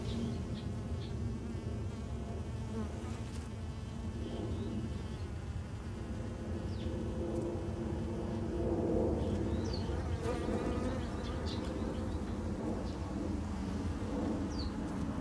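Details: Japanese honey bees kept by a beginner garden beekeeper: a dense, steady low hum from many wingbeats fills the whole stretch, swelling slightly near the middle, with faint high ticks and clicks above.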